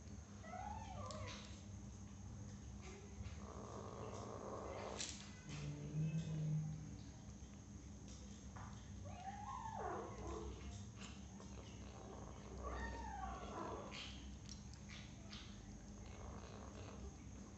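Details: Six-week-old kitten eating cat food for the first time, giving a few short wavering mews around the first, tenth and thirteenth seconds, with soft clicks and a steady low hum throughout.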